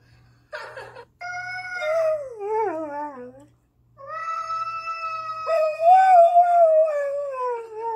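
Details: An Irish Setter named Spencer howls while hearing a cat yell: a wavering howl falls steeply, pauses in silence, then a second long howl rises and holds, over a faint low hum indoors.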